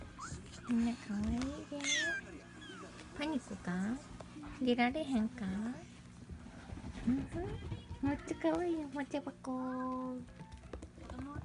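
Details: Munchkin kittens, thirty-one days old, calling with many overlapping short high mews, some rising then falling, crowded together with bursts of squeaks, steady low hum beneath and a few sharp clicks.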